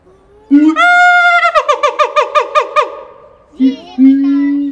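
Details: Siamang named Keiji at Higashiyama Zoo, Japan, recorded 17 January 2023 on a FUJIFILM X-S10; he often calls first thing in the morning and called energetically that day. A low boom leads into loud rising whoops, then a fast series of sharp barking notes, then more booms.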